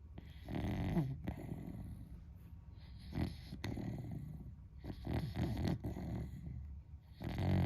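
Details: Beagle asleep indoors, a friend's pet dog snoring loudly like a human; deep rasping snores swell and fade in long breaths, strongest around 1, 3.2 and 5 to 6 seconds.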